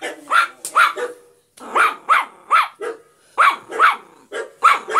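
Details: Poki, a Yorkshire Terrier, yapping in quick high-pitched pairs and triplets separated by short pauses, roughly ten sharp barks in five seconds with a slight growly edge.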